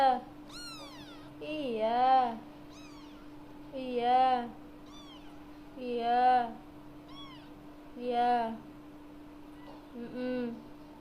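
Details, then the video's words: Very talkative cat meowing repeatedly, about once every two seconds, each meow a bent, rising-then-falling cry, while a person answers softly in Indonesian between calls over a steady low electrical hum indoors. "kucing bawel banget"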